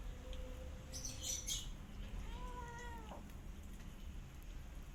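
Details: Rescue cat and kittens eating together, a rescued animal giving a clear drawn-out meow with stacked tones that bend downward after a faint earlier mew, over a low steady background rumble and light clicks.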